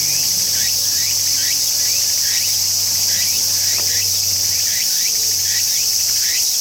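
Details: Tsukutsukuboshi cicada singing: a quick train of short rising chirps, about two or three per second, over a steady bright high-pitched hiss that runs through the whole recording, with a faint low hum underneath.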